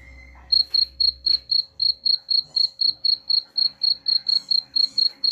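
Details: Cricket chirping, played to drive away rats: sharp, high chirps repeated steadily about four times a second, beginning after a brief half-second of low hum and a short whine, with a faint steady hum underneath.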